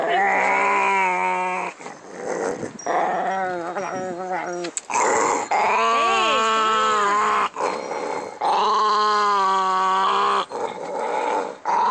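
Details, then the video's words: Pancho, a pet dog, growling with odd vocal noises: drawn-out tonal groans rich in harmonics, some bending up and down in arching glides, in bouts of one to three seconds separated by short gaps. "Pancho making weird noises when he growls."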